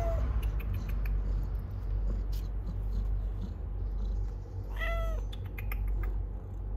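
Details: Stray cat delivering kittens; after a brief meow at the start, a single bright, downward-curving meow sounds near the fifth second against a low droning hum.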